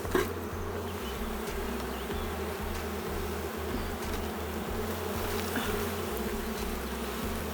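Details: Honey bees in a queenless, drone-laying hive, opened during inspection: honey present but few bees and no brood found. A steady low droning hum with layered bands, under a blocky, pulsing low rumble and faint clicks of handling.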